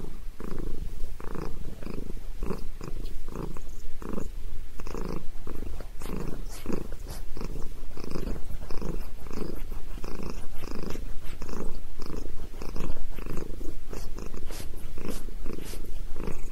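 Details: Sabrina the cat, loving a head massage, keeps up a long, deep rumbling purr, its pulses coming quicker here, about two per second, steady and close throughout.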